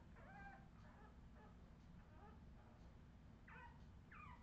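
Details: Australian Terrier puppies recorded in 2018, giving a few thin, high whining cries with short rising and falling slides, spaced irregularly over a low, steady background rumble.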